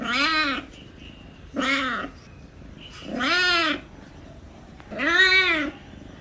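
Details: Meowing kitten with four long, wailing calls, each arching up then falling, lower and harsher than a thin mew, spaced roughly every one and a half seconds.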